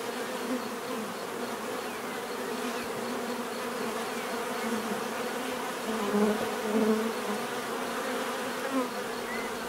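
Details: A natural buzzing of bees gives a steady, deep hum. It swells slightly around the middle, as if individual bees fly close past, then settles back into an even drone.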